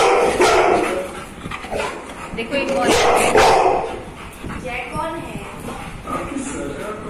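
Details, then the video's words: Labrador Retriever barking while scared at seeing himself in a mirror; loud broad barks burst out near the start and again around the third second, with softer whines between, over people talking and laughing throughout. "Labrador dog scared seeing himself in the Mirror"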